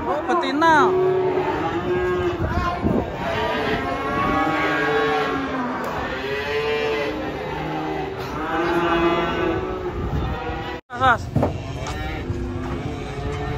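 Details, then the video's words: Cattle unloaded from a truck in Indonesia, one described as angry; repeated loud, drawn-out moos with rising and falling tone, several in a row, over handlers' voices, background music and vehicle noise. "PASUKAN SAPI LUCU TURUN DARI TRUK SAMPE ADA YG NGAMUK JUGA"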